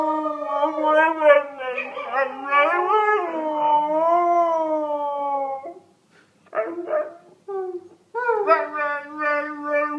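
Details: Pet dog howling indoors: long sustained wavering howls with rich harmonics, rising and falling for about six seconds, then short broken yelps and a renewed howl; no other clear sounds.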